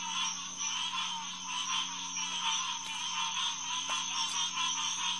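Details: Green tree frogs (Hyla cinerea) chorusing at night at the Headquarters Pond of St. Marks National Wildlife Refuge on June 2, 2021, around 9:10 pm: a dense, continuous wall of overlapping nasal calls pulsing steadily, with a constant low hum beneath.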